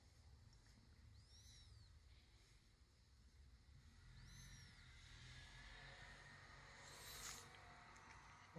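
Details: Latte, an orange-and-white younger brother cat rescued as a kitten, sweetly pleading with his dad for something indoors. Two soft, high, arching meows about three seconds apart, then a brief brighter squeak near the end, over a steady low room hum.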